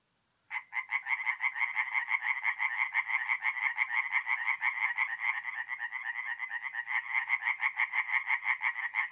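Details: Night chorus of tree frogs at a forest pond in north-east Italy, mid-April: after a brief silence, dense overlapping rapid croaking pulses start and run unbroken for eight seconds, loud and rhythmic.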